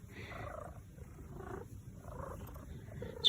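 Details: Domestic Maine Coon cat at home, about to be brushed, purring in a continuous low rumble that swells and fades with each breath, about three cycles in a few seconds, with a faint click at the end.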